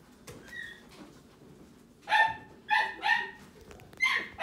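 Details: Newborn Italian greyhound puppy giving a faint high squeak, then after a pause four loud, piercing cries in close succession, each brief with strong overtones, over quiet rustling.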